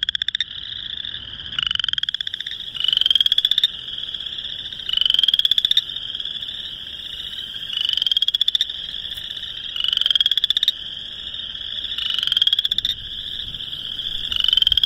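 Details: Boreal chorus frogs calling for mates in March 2021 in Northern Illinois; a close frog repeats short, rising, rattling trills roughly every two seconds over a constant high chorus of other callers.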